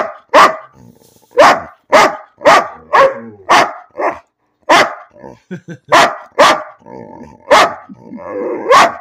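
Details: Dog named Bean barking for no reason, loud sharp barks repeated roughly once a second in an uneven rhythm, with soft whimpering and small vocal noises between them.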